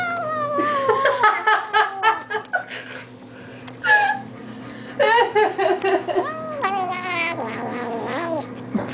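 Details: Allan, an eight-week-old kitten, keeps up a stream of high, warbling squeals as he eats treats. The nasal, wavering notes rise and dip repeatedly, with brief pauses and a little laughter.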